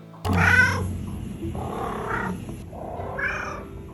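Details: Domestic cat solicitation purr, which the cat uses to wake a sleeping owner or ask for food. A low rumble at the start is followed by three cry-like, wavering calls rich in overtones.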